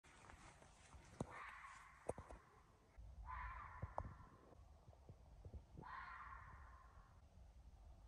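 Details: A red fox in woods near midnight gives three hoarse, drawn-out, woman-like screams, each about a second long, spaced a couple of seconds apart, heard from a porch.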